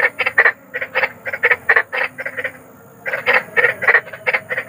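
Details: Big frog in nature giving sharp, rasping croaks in quick bursts, a string of about ten notes, a short silent pause near the middle, then another rapid cluster of gravelly croaks.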